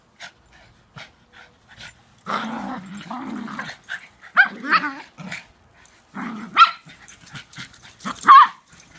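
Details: Three pet dogs chasing each other in play, a game of follow the leader; a low rumbling growl runs for about two seconds, then sharp, short barks break out at intervals, with soft scuffling between them.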